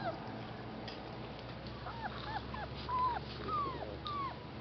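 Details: Rescue puppies with their mother at an animal rescue, giving a few faint high whimpers and squeaks that dip and fall in pitch, spaced over several seconds against a steady low hum.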